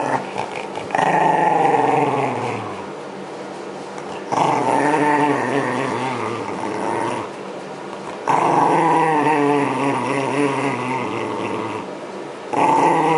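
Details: ['Shiba Inu named Yamato grumbling while being brushed to shed its winter coat in 2012, with spring approaching. Drawn-out, wavering growls come in three-second bursts, separated by quieter, steadier humming stretches.']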